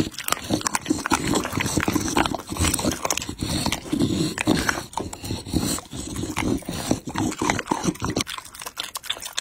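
A Pit Bull chewing and crunching on raw meat and chicken, with wet, smacking bites.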